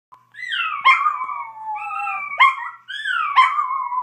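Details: Chihuahua named Blackie howling like a coyote: long, wavering, tonal howls with clear overtones, sliding downward in pitch, broken into three drawn-out phrases, each opening with a sharp yelp-like burst; otherwise quiet surroundings.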